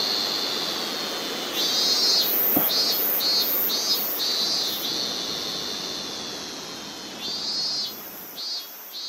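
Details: Robust cicada (Hyalessa maculaticollis) sings a loud, shrill series of pulsing 'meen-meen' notes over a steady insect hiss, in August 2020 in rural Bungo-ōno, Ōita Prefecture, Japan.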